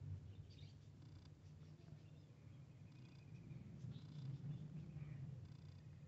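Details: Close, loud purring from a cat while a kitten meets a big cat: a rapid, pulsing low rumble that swells stronger toward the end, with faint soft scratchy sounds above.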